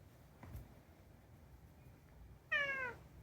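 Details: After a couple of seconds of near silence with a faint tap, Unagi, a chatty rescued pet cat, gives one short, slightly falling meow at the end.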